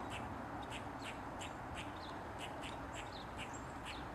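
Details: Eastern gray squirrel barking while dancing on a mushroom with its tail wagging: quick, dry, scratchy chucks repeated about three times a second, fairly faint over a steady low background hiss.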